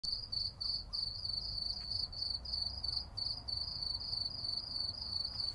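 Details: Cicadas singing at night in summer in a city: a steady run of short, high, buzzy chirps, about three each second, with a faint low hum beneath.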